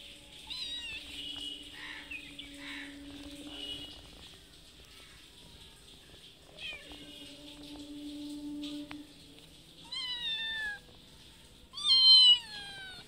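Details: Mother cat that has a little kitten asks for food outside a house: after steady humming tones and faint noises, two loud, sharp meows near the end, each falling then lifting slightly in pitch.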